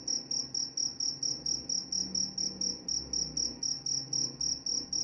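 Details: Cricket chirping meant to lull listeners to sleep and drive off mice. Short, sharp, high pulses repeat evenly, roughly four per second, over a soft, dim rumble.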